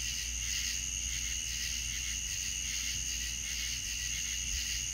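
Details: Crickets calling at night in the South, an unbroken wall of high, rapidly pulsing chirps with a constant shrill tone, a faint low hum and a few soft low thumps.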